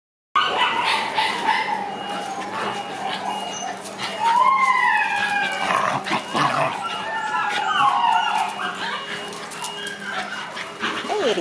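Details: Six-month-old black Shiba Inu puppies playing outdoors: drawn-out whining howls and yelps, some sliding upward then down, overlapping with steady background noise.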